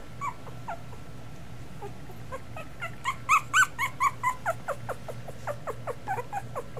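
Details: A litter of two-week-old Miniature Schnauzers cries in a rapid run of sharp, squeaky yelps, about two per second and loudest mid-sequence, then trailing into softer whines over a faint hum.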